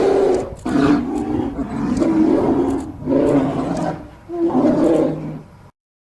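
A polar bear gives deep, rasping roars in three long bursts with brief pauses between.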